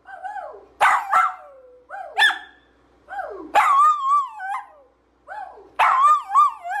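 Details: Dachshund barking and yipping in a playful compilation: four loud, strained bursts with wavering, whining tails, roughly one every one and a half seconds, some short high yelps between.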